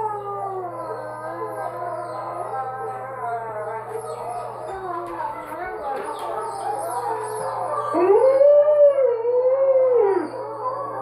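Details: A female Alaskan Malamute gives a loud, wavering howl that rises and falls, howling along while watching and hearing wolves howl in a video on a computer, their layered howling in the background.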